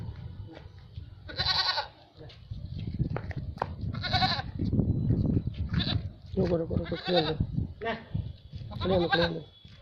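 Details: Two female Barbari dairy goats at a farm in Etawah, Uttar Pradesh, bleating: strained, high calls roughly every two to three seconds, plus one lower wavering bleat, over steady background talk and rumble.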